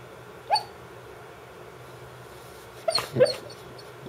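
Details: Brittany Spaniel named Dance barking in her sleep, a dog that otherwise never barks; soft muffled woofs, one near the start and a quick cluster of three toward the end, over a steady indoor hum.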